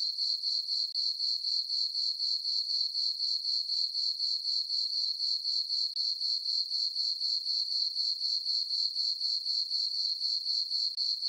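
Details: Summer-night cricket chorus from a meadow on a farm under a full moon: continuous high-pitched chirps repeating at a regular four per second, shimmering and unbroken, no other animals or noise.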